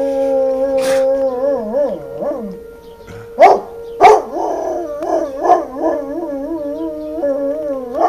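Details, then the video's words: A dog howling at a siren: long wavering howls that rise and fall in pitch over a steady droning tone, with music playing and loud sharp bursts in the middle. "howlin' at the siren"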